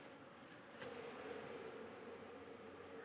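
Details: Continuous droning of a honey bee colony at the hive as queen cells are handled, the low hum swelling slightly around the first second before settling into an even buzz.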